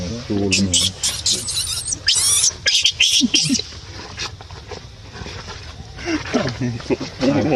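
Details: Baby monkey crying and screaming: harsh, shrill, noisy screams in rapid bursts, loudest around the middle, with lower, voice-like harmonic cries at the start and end.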